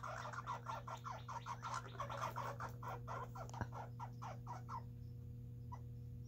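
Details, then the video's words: Two baby red squirrels in a backyard, eating together in a food fight: a rapid train of harsh pulsed chatter, roughly four bursts a second for about five seconds, then breaking off, over a steady low hum. "2 Red Squirrels Eating Together"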